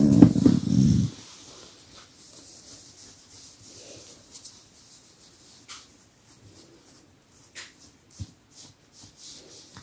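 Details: Household dog unhappy that its massage has stopped, camera close by; a short low rumbling growl at the start, followed by long quiet stretches with faint soft rustles and small movement noises.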